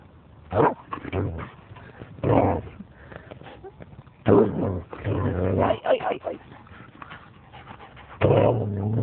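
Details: Lurcher dog playing wildly in attack mode, dive-bombing a person: bursts of rough, low growling and snarling barks in several loud clusters, with a person's voice and laughter between them.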